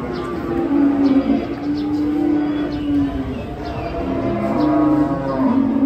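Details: Big cattle taken off a truck, lowing in long, steady, flat moos that run almost continuously, one after another, with a constant noisy background.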